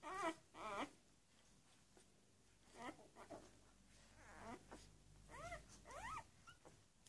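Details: Labrador Retriever puppies from a B litter on day one, uttering scattered thin, wavering whimpers and squeaks separated by quiet pauses, over low background hum.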